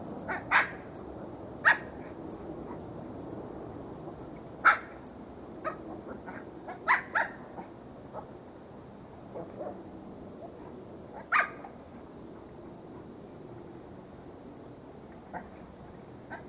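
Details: Several dogs kept as pets, giving short sharp barks and yips at irregular intervals, a few louder barks standing out over a low steady background hum.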